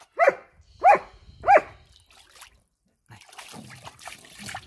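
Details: Evo, a German Shepherd, playing with water: three sharp barks about 0.6 seconds apart in the first two seconds, followed by quiet splashing and trickling water.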